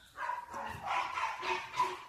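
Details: Dog barking in summer, a run of short, yelping, whining barks over about two seconds with people talking in Korean nearby.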